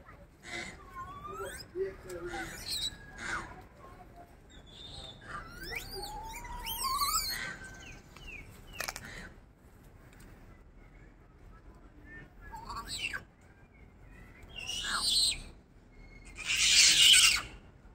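Silvered leaf monkey giving thin, high squeals and rising whines, with a harsh burst near the end.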